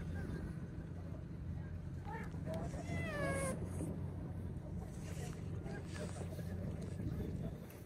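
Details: Stray cat meowing while being groomed with a brush: one short, rising-then-falling meow with bright harmonics midway, set against a constant low engine-like rumble and people talking in Turkish.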